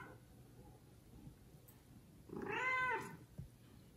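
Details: Kitten from a litter of four loudly meowing to call its mother indoors; one strong drawn-out meow with rich stacked harmonics, arching up and down, after a quiet start, followed by a faint thump.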